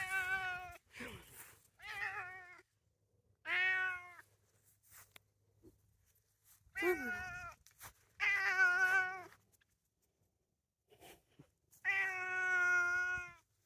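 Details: A male Bengal cat (Bengal mother, tomcat father) meows again and again outdoors while being coaxed to go inside; each call is a drawn-out, rising-then-falling wail.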